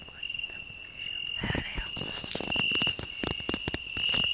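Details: A cricket on a rose bush, with a grasshopper singing on the same bush: a continuous shrill, high trill beneath loud rustling and scraping of branches close by.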